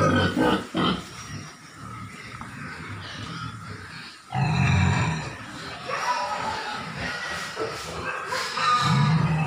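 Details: Landrace pig producing deep, rapid grunting, the low rumbling notes pulsing quickly, with a louder burst midway and some scratchy higher-pitched noise over the top.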